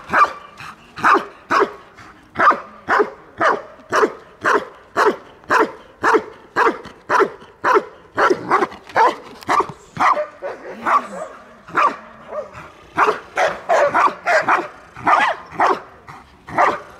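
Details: Belgian Malinois guarding its female owner during protection training in Dyukovsky Park, Odesa, Ukraine; loud sharp barks repeated almost twice a second for about ten seconds, a short pause with softer sounds, then faster, denser barking.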